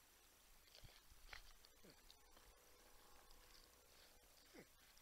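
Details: Humming porcupines filmed in the wild at San Angelo, Texas: a few quiet whining notes that sweep down in pitch, spaced irregularly, with soft rustling and low outdoor noise.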